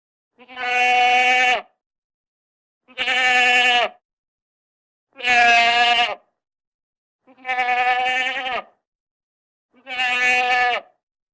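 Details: Goat giving five long, steady, harmonic bleats, each about a second long, evenly spaced roughly every two and a half seconds, in a quiet setting.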